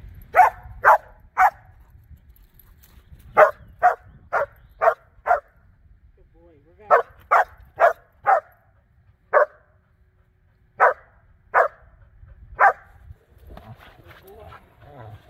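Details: Border Collie named Blue Ryder in personal protection and bite training, running blinds: loud sharp barks in bursts of three to five, short pauses between groups, faint voices and handling noise behind.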